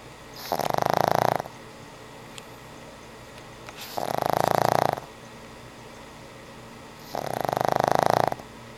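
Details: Old pug dog asleep, snoring in three loud raspy bursts of about a second each, spaced roughly three seconds apart, with quiet breathing pauses between them.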